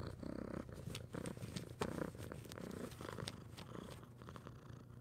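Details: Orange cat purring close up indoors, a low rhythmic rumble in pulsing bursts, each lasting about half a second, with light rustles and taps over the top.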